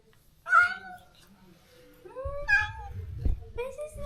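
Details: Stray cat cared for in a countryside yard, crying daily after neutering for the close companion it was separated from; three drawn-out, harmonic, rising-then-falling meows spaced over four seconds, with low rumbling background noise.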